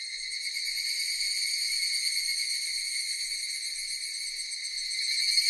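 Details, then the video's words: Cicadas producing a steady, unbroken high-pitched buzzing drone with several shimmering layered tones, holding constant throughout and swelling slightly louder at the end; no other sounds. "Cicadas Sound effect"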